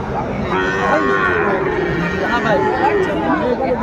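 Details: Sahiwal bull calf at a busy cattle market in Noakhali, Bangladesh, 22 February 2025; a drawn-out lowing moo carries through dense crowd chatter and haggling voices.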